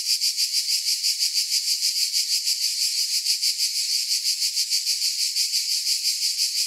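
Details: High, hissing cicada buzz holding level throughout, its loudness swelling and dipping in quick regular pulses, about three per second. No other sound.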